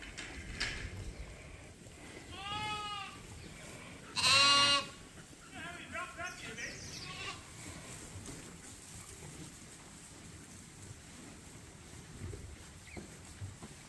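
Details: Lambs being bottle fed at Ewetopia Farms give a few separate bleats: a wavering cry, then a sharper louder one, then a shorter shaky one. Quieter stretches with faint background noise follow.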